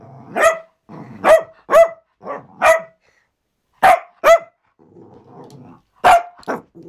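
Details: Pet Cavalier King Charles Spaniel named Benson giving bursts of high, clipped barks, often in quick pairs, separated by short pauses filled with low grumbling whines.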